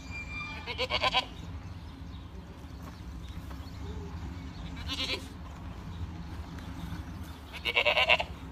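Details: Farm-raised Boer goat bleating three times, each a short, nasal, quavering cry, spaced several seconds apart against constant low mechanical hum.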